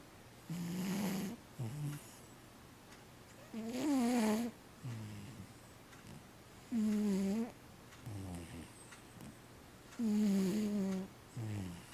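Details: Fifteen-year-old domestic cat Matchan, who sleeps all day, snoring indoors: tonal, harmonic inhalation snores with short wavering exhale sounds, about four breaths spaced roughly three seconds apart, with steady low hum behind.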